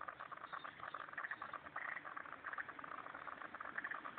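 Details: At a pond in Turner, ACT, many frogs keep up a thick, bubbling chorus of quick rattling clicks, dense and unbroken, with short brighter notes recurring roughly once a second over a low rumbling background.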